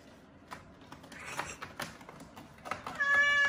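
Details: Small, weak kittens found huddled together, leaning on each other, met on the way home from a family funeral; after scattered soft knocks and rustling, one high, clear meow holds steady near the end.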